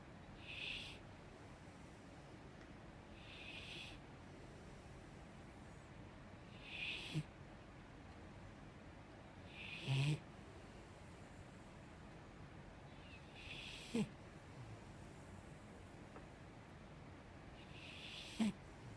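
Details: Sleeping five-year-old female Mastiff snoring unusually softly indoors: gentle airy snore breaths repeat every three to four seconds, some ending in a small click or snort, with low background hiss throughout.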